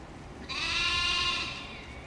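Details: A single loud, steady, nasal bleat about one second long, rich in harmonics, from a mouflon herd grazing the grounds of Thomayer Hospital, Krč, Prague, Czech Republic, 14 May 2017. The animals come from nearby Kunratice forest and beg people for food.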